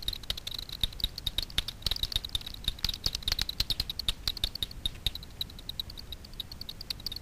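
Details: Frequency-divided echolocation of Daubenton's bats hunting insects over Miedwie lake, north-west Poland, at night: a steady stream of sharp clicks, several per second, irregular in spacing, over a low background rumble.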